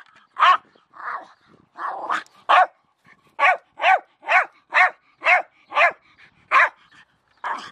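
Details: Milo, a Jack Russell Terrier, barks at a shovel. A few rougher, muffled barks come first, then a quick run of crisp, evenly loud barks, roughly two per second, against a quiet background.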